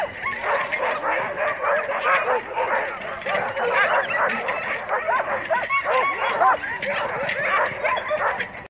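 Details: Alaskan huskies barking, 9 December 2017: a packed clamour of sharp yips and barks from several dogs overlapping without a break, some rising yelping notes standing out near the end.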